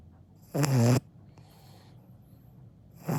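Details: Akita puppy named Dango snoring while asleep, a single rasping, buzzy snore lasting about half a second, followed by quiet breathing and the start of another snore.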